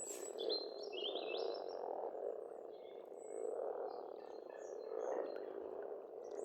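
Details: Frogs calling together in spring at a pond in Estonia: a dense, steady croaking murmur swelling and fading in waves, with high whistled and trilled birdsong scattered above.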